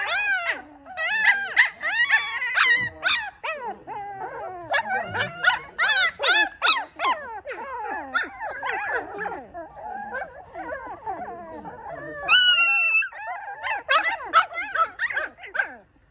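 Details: A litter of four newborn Maltipoo puppies crying together: a dense chorus of high, wavering whines and squeals that rise and fall, overlapping and repeating rapidly throughout, with no pauses.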